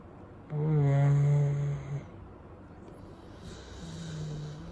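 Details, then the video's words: Chow Chow dog asleep after his wash on a warm day, left to dry naturally; one low, droning snore-like breath lasts about a second and a half, then quiet indoor background. "Chow Snoring"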